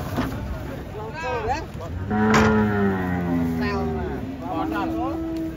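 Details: Cattle being unloaded from a truck: a long, low, steady moo rises out of the mix midway, with human voices talking over and around it and a background vehicle hum.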